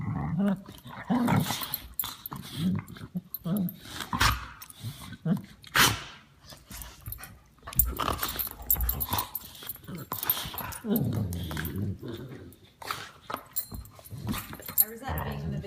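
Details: Two dogs that are close companions play together while one makes gremlin-like noises: throaty growling grumbles and snorts in repeated bursts, with brief higher yips, some human speech and handling sounds between them.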